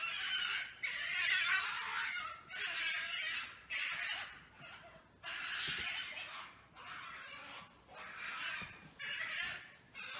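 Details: European badgers fighting in a garden on 14 July 2019, one running at the recorder, give harsh, raspy screeching squeals in bursts of about a second.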